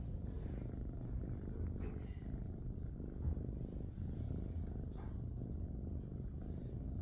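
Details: Young tabby kitten at an animal shelter, with littermate sisters, purring while being fussed over indoors: continuous deep, even rumbling with a fine pulsing texture, loud and close, with only faint traces of a person's voice.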